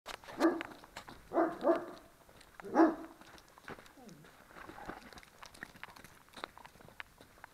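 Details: A 20-month-old Dobermann gives a few deep, harsh barks, some doubled, separated by short pauses.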